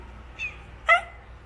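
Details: Barang, an old, tiny orange cat that has been straying and has just come back home to nap and eat, lives next to a busy road. Two short meows: a faint brief one, then a louder rising-falling mew with clear harmonics.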